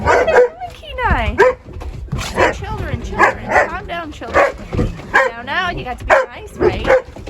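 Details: A pack of shepherd puppies playing, vocal and rough-housing in the mud: short yips and arched, whining yelps rise and fall in quick bursts, while a woman talks over them, urging them to play nice.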